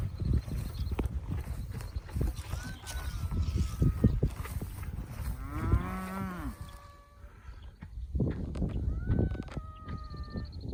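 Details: Cattle herd on a cattle drive at a ranch in Northern Colorado, being moved up to a different pasture; one drawn-out, low moo with stacked harmonics midway, with people talking, faint whistled bird notes and steady outdoor rumble.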